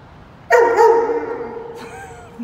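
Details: Roman, a Dobermann, walking on a rainy day, lets out one loud harmonic bark that decays over about a second, followed by a softer second sound and a brief low noise at the end.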